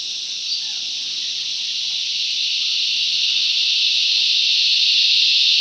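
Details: Dense cicada song filling the bush, a high metallic buzzing drone building steadily in loudness from start to finish, with faint bird notes.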